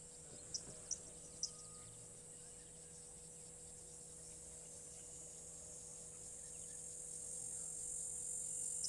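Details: Cicadas humming in the background outdoors: a constant, very high shrill drone that builds slightly louder toward the end, with a few sharp clicks early on and a faint steady electrical tone beneath.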